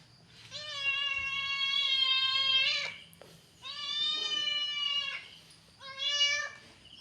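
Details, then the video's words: Angry domestic cat giving three long, steady, harmonic-rich yowls, the first over two seconds long, the last short, separated by brief pauses, recorded indoors. "The sound of an angry cat"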